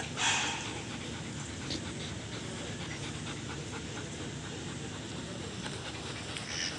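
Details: German Shepherds Venom and Lora during mating: steady breathy panting in fast rhythmic puffs over a constant noisy background, with a brief louder burst at the start.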